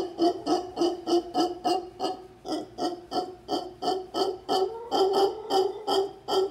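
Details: Troop of howler monkeys, locally mono congo, calling in the town of Potrero, Guanacaste, Costa Rica; hoarse, throaty pulsed grunts repeated steadily about three times a second, rising and falling in loudness.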